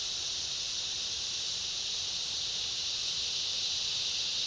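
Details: Cicada chorus in a summer rainforest, with other insects: a dense, continuous high-pitched hiss-like drone that holds steady and unbroken, with no distinct individual calls or other clear sounds.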